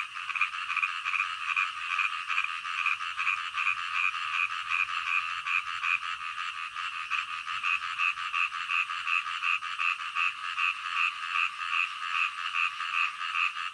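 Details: Frog calling at night, a steady run of quick, evenly spaced croaking pulses, nearly three per second, going on unbroken for about fourteen seconds over a continuous humming background of other callers.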